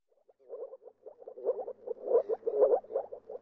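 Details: Moor frogs (Rana arvalis) call in soft, low bubbling notes in quick, overlapping series, like air bubbling up through water.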